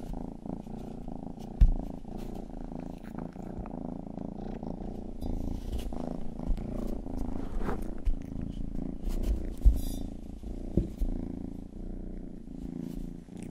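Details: Youngest house cat Rang-i purring, a sound its owners call a 'purr song' and describe as calming; deep, even, low-pitched rumbling fills the clip with a few faint clicks and soft rustles.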